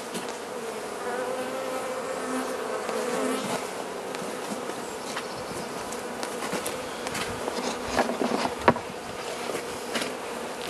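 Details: Carniolan honey bee hive in southern Finland, 16 March 2017 at +3 C outside, with the queen inside, during Mountain Camp method feeding; a rich, continuous humming drone with layered overtones, ending with a few taps and crackles.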